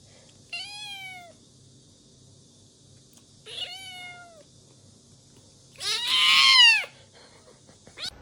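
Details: Kitten giving three meows over a faint background hum: two thin descending calls a few seconds apart, then a louder, harsher and longer meow that rises and falls.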